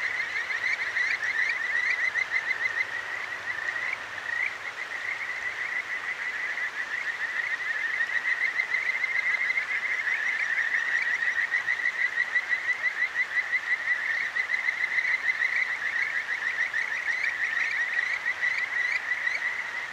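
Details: A continuous wall of Kajika frog calls from a clear stream in Tokyo's Akigawa Valley at night, recorded with a ZOOM H6; countless brief whistled upslurs blend into a pulsing trill, with occasional louder notes standing out over the babbling water.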